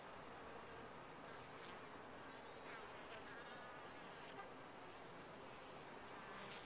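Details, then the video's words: Constant, even buzzing from honey bees inside a top-bar hive, a dense textured drone with a few short, sharp clicks over it. "Bees in a topbar hive"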